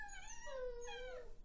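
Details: Shiloh Shepherd puppies five weeks old, born May 20, 2013, play noisily among littermates in the background; one gives a high, drawn-out whine that sags slightly in pitch, then lifts at the end.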